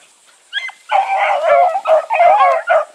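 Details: A pack of Bluetick Coonhounds with Sassy running along, voices piling into a dense, continuous chorus of wavering bays and yips after a brief opening cry.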